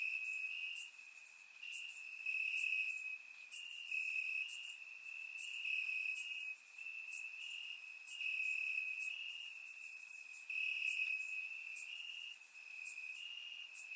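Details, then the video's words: Summer-night cricket chorus in Bulgarian grassland, surround-recorded; a steady high trill carries on throughout, punctuated by clusters of brighter chirps repeating roughly every second, many crickets overlapping. "Cricket Sounds - Crickets Chirping at Night"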